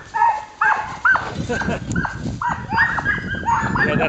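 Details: Samoyed sled team in January at the start of a 20-mile dryland carting run on a 10°F windy day, excited dogs giving rapid, rising yelping barks in quick succession, with a person speaking.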